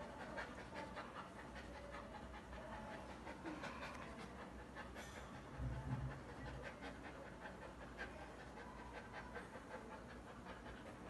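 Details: Bakharwal dog from a kennel panting, faint rapid breathy puffs at roughly two or three per second, partly buried in steady background noise with a brief louder low thump midway.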